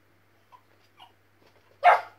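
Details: West Highland White Terrier puppy barking while watching a squirrel on television indoors; a few soft faint noises, then one loud, sharp single bark at the end, with a person's voice urging it on just before.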